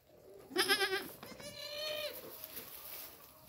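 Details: Farmed goat giving a loud, quavering bleat about half a second long, then a softer, drawn-out wavering bleat with a slight rise, over faint background hiss.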